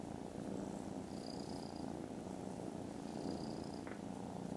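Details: Very loud, low, throbbing purring from contented foster kittens napping after lunch, filmed 18 December. Two faint high whines are heard over the steady rumble.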